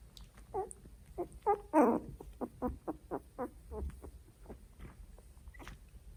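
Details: Three-week-old Italian Greyhound puppies exploring, captured on a phone: a rapid run of short grunting squeals and mewling noises, about three per second, one louder at two seconds, fading toward the end.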